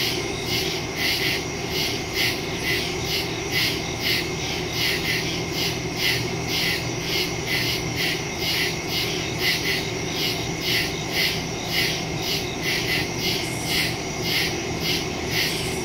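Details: Cricket chorus in the woods after dark, September 2, 2023, Samsung Galaxy S22 Ultra with Shure MV88+ stereo microphone: many callers producing rapid high pulsed chirps, about two per second, over an unbroken shrill insect wash.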